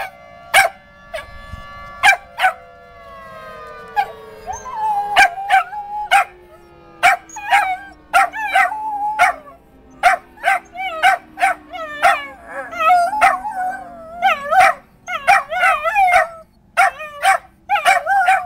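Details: Dog howling along with Saturday noon tornado sirens, its wavering, quavering howls repeated many times over a long, slowly falling siren tone, with sharp clicking knocks throughout.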